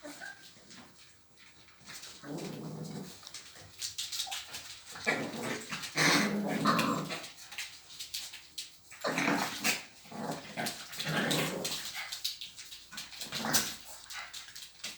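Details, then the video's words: Dogs at a dog playground making rough growls and whiny vocal bursts during play, with scuffling and a faint high hum in the background. "강아지놀이터 애견놀이터"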